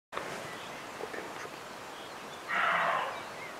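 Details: Roe deer buck in Bieszczady, June 2017: one harsh, hoarse bark of about half a second rising out of a quiet natural background with faint distant birds.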